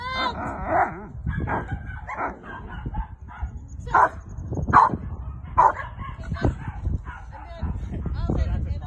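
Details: Carma, a female Rottweiler, barking during protection training with a helper; loud, irregular barks spaced about a second apart, with a man's voice speaking between them.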